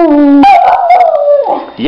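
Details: A female dog howling to be let outside for the bathroom, a sustained tonal cry that begins low, jumps sharply higher, then drifts slowly down before breaking off, with a person's short reply at the end.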